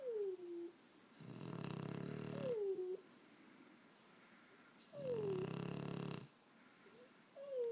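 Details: Two sleeping pet French bulldogs, 18 months and 6 months old, snoring indoors: rough, low rasping snores about a second long, repeating roughly every four seconds, with thin falling nasal whistles between breaths.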